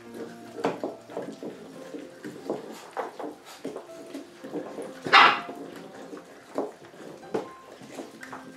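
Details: Rottweiler puppies at feeding time, 3 April 2022: a busy chorus of short overlapping squeaks, whines and yelps from several pups, with one louder squeal and scattered clicks and clatter.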